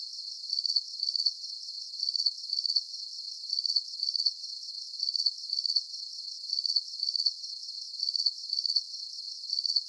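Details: Crickets in a calming deep-sleep soundscape: high, bright pulsed chirps arriving in paired bursts roughly every one and a half seconds, steady and regular, with no other animals, voices or music and no low background sound.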